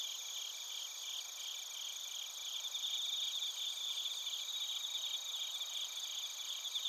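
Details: Chorus of bell crickets and crickets from Narita in Chiba Prefecture, Japan, captured with a TASCAM Portacapture X8: continuous high-pitched chirping from many insects, with rapid pulsed trills swelling slightly louder in the second half.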